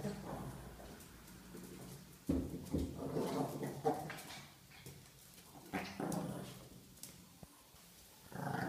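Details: A Chihuahua growls while playing with a ball indoors. Rough, low rumbling growls come in uneven bursts, loudest around the middle, with short pauses between them. Thumps and handling noises are also heard.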